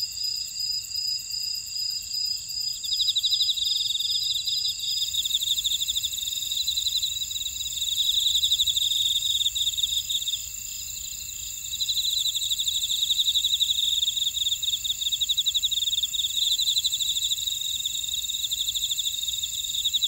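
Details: Insect chorus from a buckwheat field in Ora-dong, Jeju City, Jeju Island, South Korea: layered high continuous ringing, with rapid pulsed chirping trills joining after a few seconds and rising and falling in bursts over the steady drone.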